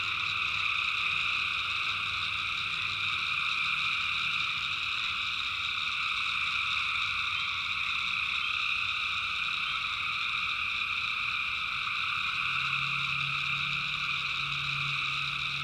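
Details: Tree frogs calling at night in the backwoods of North Carolina, personally recorded: a dense, unbroken chorus of high trilling in several steady layers, with a faint low hum underneath throughout.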